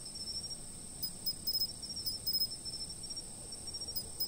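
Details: Chirping insects on a fixed-camera recording. A shrill, unbroken high-pitched ringing runs throughout, overlaid by quick clusters of clipped, stuttering chirps that come in irregular bunches. No other sounds intrude.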